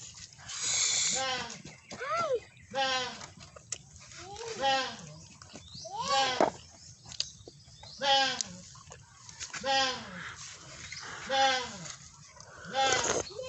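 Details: Repeated goat bleats, roughly one every one to two seconds, each a nasal, bending cry rising then falling, some overlapping as several calls come in quick succession, with rustling and faint voices between them.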